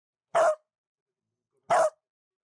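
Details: A female Beagle barking on meeting a ferret in a park: two short, sharp barks about 1.4 seconds apart, with silence in between.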